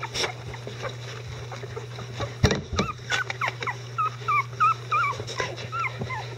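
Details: Whining from 11-day-old Icelandic Sheepdog puppies beside their mother Gaela: after a muffled bump, clear rising-and-falling whines come in quick succession, about three each second, each with a bent upper tone, over a low steady hum.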